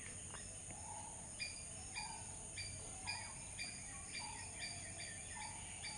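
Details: Squirrel giving sharp chirps at an uneven pace of nearly two per second, each followed at times by a short lower whistle, against a steady hiss.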